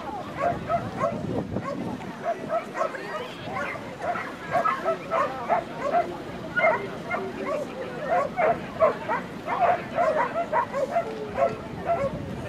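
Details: Norfolk Terrier on June 22, 2013, barking in a fast, dense series of short yapping barks, sometimes overlapping, with a busy hum of people talking throughout.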